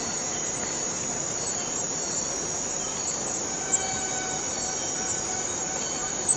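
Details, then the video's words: A cicada from the Borneo rainforest sustains a high, sizzling drone without pause, broken only by two brief soft knocks. "Borneo Rain Forest Cicada - Cicada sound - cicada noise"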